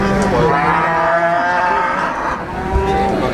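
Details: Cattle at a livestock market selling female cows: a drawn-out, low, nasal moo in the first second and a half, then quieter lowing, over steady crowd chatter and background noise.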